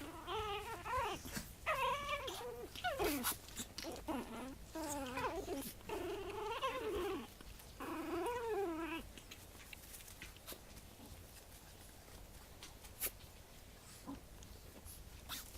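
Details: One-month-old Japanese Chin puppy giving a run of high, wavering whimpers and yelps for about nine seconds. Each call bends up and down in pitch, then the calls stop and only faint rustling and a few soft clicks remain.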